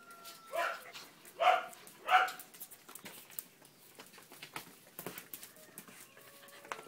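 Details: Male Border Collie puppy, blue merle, four months old, barking three times in quick succession, loud and clipped, about two-thirds of a second apart, followed by faint shuffling and clicking noises in a small room.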